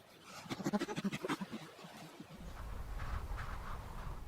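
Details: Chimpanzee; laughter; expressing pleasure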